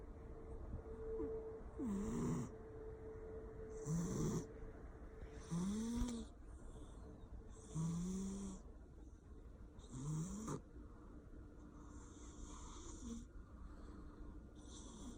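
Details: Persian cat sleeping and snoring loudly, a snore roughly every two seconds. Each breath rises into a nasal, whistling whine over a low drone, with breathy hiss, then fades near the end.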